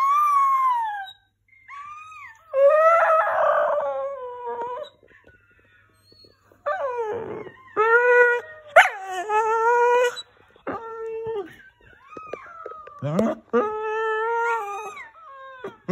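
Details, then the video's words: A singing Scottish Terrier howls in long tonal wails, sliding and wavering in pitch, some rising then falling, in bursts of one to two seconds separated by short pauses, with a whimpering quality and a quiet room behind. "the Singing Scottie"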